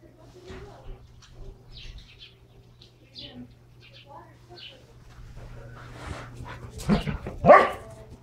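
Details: Two Standard Poodles, Brizz and Copper, wrestle hard while playing with their toys. Quiet scuffling and soft noises give way to a sudden harsh bark and a growl near the end.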